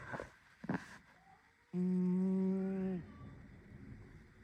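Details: Snowy, a pet cat, snoring while asleep and dreaming: a single steady, low droning tone rich in overtones holds for over a second, preceded by a few soft rustling clicks.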